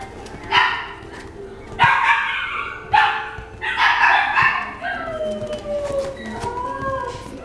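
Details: Toy Poodle giving about five sharp, harsh barks over the first four and a half seconds, then thin, high whimpering tones that slide gently downward until the end.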